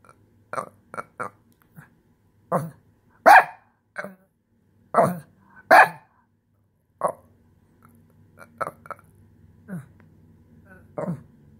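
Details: Shih Tzu in a tantrum over having its couch space taken: a rapid, uneven run of barks and yips, several in quick pairs, some louder than others, over a low steady hum.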